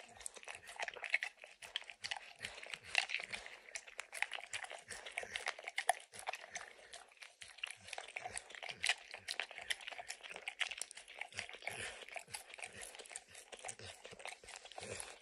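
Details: Indoors and without talking, the dog Max keeps licking peanut butter and kibble from an orange mat, giving a steady stream of crisp, wet tongue smacks and occasional crunches against quiet background.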